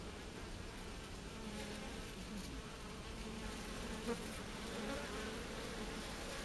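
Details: Japanese honey bees forming a heat-killing bee ball: a low, steady, droning buzz with a faint hum underneath, continuous throughout, with one brief soft click near the middle and a slight swell toward the end.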